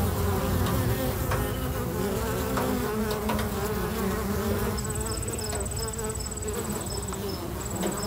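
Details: Busy bees at a local bee box keep up a steady low drone; from midway a very high, fast, pulsed chirping of another insect joins in, with short repeated breaks.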